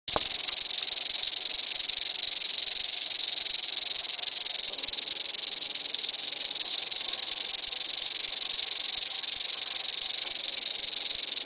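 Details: Eastern diamondback rattlesnake rattling its tail without pause: a dense, high, hissing buzz that holds steady and loud from start to end, with no other clear sounds.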